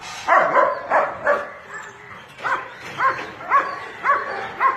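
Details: Bathing pet dog barks steadily, roughly eight yappy barks in under five seconds, spaced about half a second apart with slightly rising tone.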